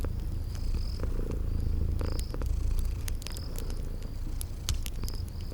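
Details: Purring from sleeping cute kitties by a crackling fire, spring garden setting; a continuous deep rumble carries throughout while fire snaps crackle above and thin high tones come and go every second or so.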